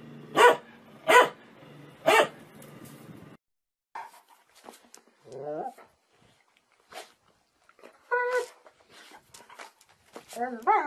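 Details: Happy dogs barking loudly while playing for fun: three sharp, loud barks about a second apart open the recording, then a pause followed by quieter yips, whines and higher squeaky yelps.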